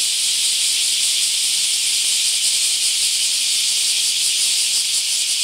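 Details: Bear cicadas in mass emergence at a park in Akashi, Japan: a dense, continuous high-pitched hissing drone with no breaks and steady loudness throughout.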